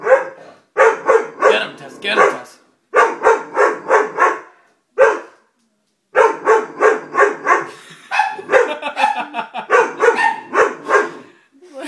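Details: Dobermann puppy, frightened by a stuffed toy, barks in rapid bursts of three to five sharp yaps. Brief pauses separate the volleys across nearly twelve seconds of steady barking.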